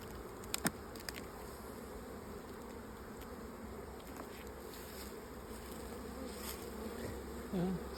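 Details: Honey bees of a late swarm filling an opened old hive. A steady, low, droning buzz runs throughout. Sharp clicks come early, and a short louder burst comes near the end.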